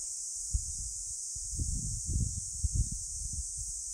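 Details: Cicadas on Songido island, Korea, hold a steady, high, hissing buzz without pause on a summer afternoon, 11 July 2022 around 14:13, with low rumbles of wind underneath.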